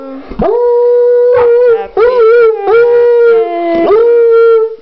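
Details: Mullet, a coonhound, howls a birthday song for brother Grady turning three: sustained even-pitched howls broken by sharp rising yips and wobbling notes, ending in a long steady drawn-out tone.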